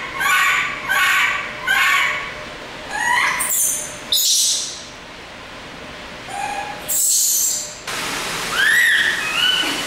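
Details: Baby monkey in a laboratory screaming in panic: short harmonic shrieks repeated about every half second, then longer rising and falling wails between bursts of noisy hiss and quiet pauses.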